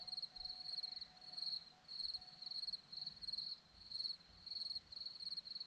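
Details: Chirping crickets on a Romanian hillside at Zorlesti: bright, high, pulsed chirps repeated roughly every half second in an even rhythm against a quiet background.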